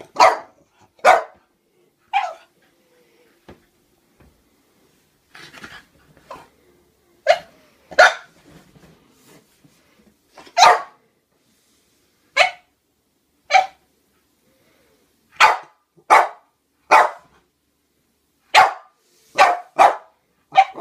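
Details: Frightened French bulldog barking at clowns indoors; a long series of about fifteen short, sharp barks, irregular at first then coming in quicker bunches of two and three, with soft scuffling between.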